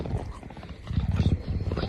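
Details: A male pet lynx gives deep, rumbling pulsed grunts in a short burst, the happy sounds he makes every time he sees his owner.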